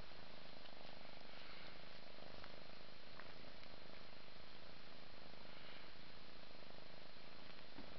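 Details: Mother cat purring while bathing her five-month-old kitten indoors, a steady low rumbling purr that continues without break through the whole stretch, with faint background hiss.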